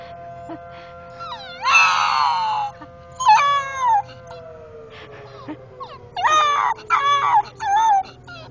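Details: A cocker spaniel howls in wavering, rising and falling bursts in response to a ringing fire house bell.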